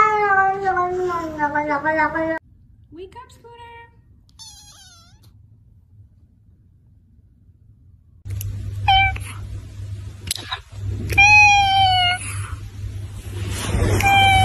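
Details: Cats and kittens from a compilation meowing loudly, long falling harmonic cries and short high squeaky mews, mixed with human speech and background hum.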